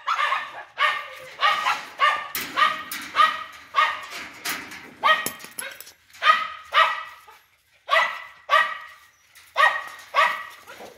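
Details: Big-bellied dog giving a long irregular run of barks, some clustered in quick pairs and triplets, others spaced apart, all sharp and rough-edged, with faint background noise between bursts.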